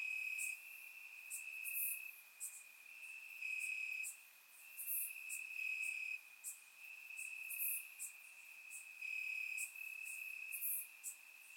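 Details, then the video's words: Warm summer night in Bulgaria, crickets chirping in the grass: a continuous high trill swelling and fading every second or two, sharp high clicks from other insects scattered over it. "Cricket Sounds - Crickets Chirping at Night"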